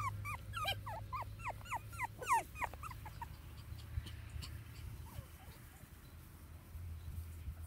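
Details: Teddy Bear puppies, born on April 30th, playing outside; a quick run of short high squeaky whimpers and yips over the first three seconds, then quieter, with steady low background hum.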